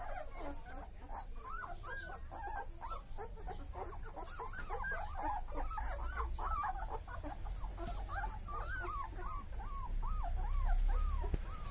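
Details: Chippiparai puppies, show quality, crying continuously: rapid, looping whines that arch up and down, several pups overlapping at once, with a low background rumble underneath.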